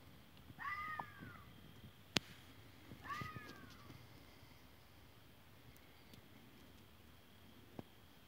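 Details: Fox voice: two short, harmonic cries that curve up then fall, roughly two and a half seconds apart, with a loud click between them and soft background hiss.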